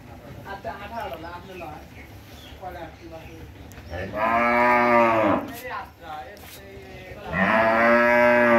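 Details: One of a pair of 17-month-old Holstein Friesian heifers on a dairy farm in Bangladesh: two loud, drawn-out, harmonic moos, each over a second long, after a stretch of quieter background voices.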